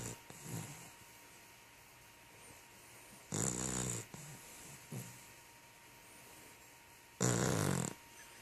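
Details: A sleeping puppy lying beside a person indoors, snoring: soft low rasping breaths every few seconds, interrupted by two louder broadband bursts of noise, with a steady faint hum throughout.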